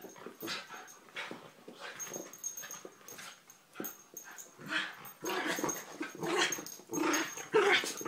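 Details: Terriers Poppy, Jazz and Max making rough, noisy growls and snuffling bursts, irregular and overlapping, with louder clusters toward the end and a faint steady high whine in the background.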